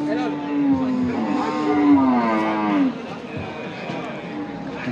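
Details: Cattle at the Hazratpur Paragram cattle market in Bangladesh on 3 May 2025, offered for Qurbani: a long, low, drawn-out moo lasting nearly three seconds, sliding slightly downward at the end, with crowd murmur and market noise throughout.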